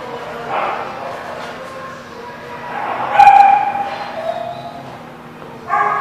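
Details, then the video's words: Dog at The Barking Lot, recorded 14 July 2017, giving short barks and yips with a whimpering tone, a louder sharp bark near the middle and another at the end, with human voices in a room. "The Barking Lot"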